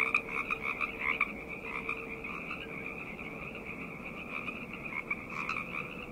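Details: Frogs croaking at night, a few louder close calls at the start and near the end over a softer, more distant chorus of pulsed notes in a high and lower band.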